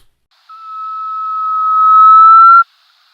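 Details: Desert rain frog, an arid-area frog, gives a single drawn-out, pure whistle held steady for about two seconds, rising slightly at the end before stopping abruptly; easily confused with a flufftail.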